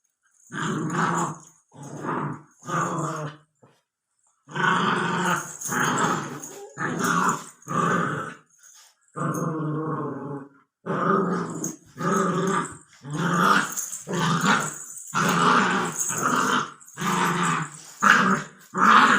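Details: Labrador Retriever puppy aged 64 days growling loudly in short, gravelly bursts, roughly one per second, with a few pauses, in an indoor room.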